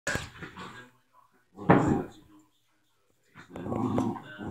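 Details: Tito, a pet dog, playing: short harsh vocal bursts, one loud broadband yelp near the middle, with a person talking excitedly over and between the sounds.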